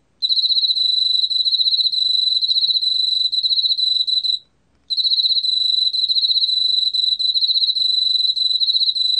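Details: Korean field cricket (왕귀뚜라미) singing, recorded in 2020 by the National Institute of Biological Resources. A bright, shrill pulsing trill holds steady at one high pitch, pauses for about half a second midway, then continues unbroken.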